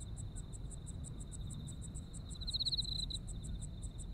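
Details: Autumn insects in Japan: a steady high ringing trill under rapid, evenly pulsed higher chirps, about seven a second, with a louder swelling trill burst midway; low rumbling background noise.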